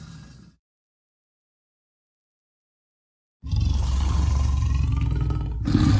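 A brief murmur fades into silence, then an Amur leopard breaks in with a deep, grating roar. The sound is heavy and throaty, rumbling low with a coarse rasp running through it until the end.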